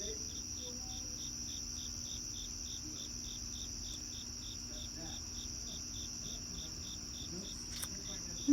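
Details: On a cloudy evening outdoors, crickets chirp in short, evenly spaced pulses over a steady, high-pitched insect trill.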